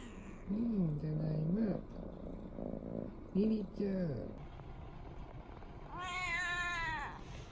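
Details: Indoor tabby cat, one of two sisters, pacing around and meowing to greet its owner, the father, as he comes home; several low drawn-out arched meows, then a higher, longer wavering meow, with soft background music.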